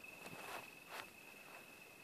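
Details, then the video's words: Crickets give a steady, thin, high trill after sunset at a campsite on a November 2012 hike around Little Baldy, Wichita Mountains Wildlife Refuge near Lawton, Oklahoma, with soft rustling footsteps beneath; crickets. "sun's gone down. I don't know if you can hear the crickets."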